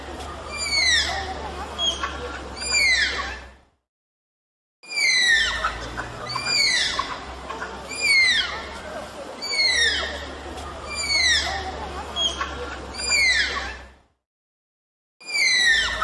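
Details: Series of sharp, high-pitched falling squeals from a Malayan tapir, bunched in rapid groups and recurring across several bursts broken by silent gaps, with a low steady hum in the background.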